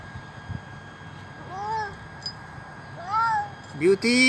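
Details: Old feral stray cat, very hungry, begging for food at a doorstep: three rising-falling harmonic meows, the last louder and sharper, over a low background hum.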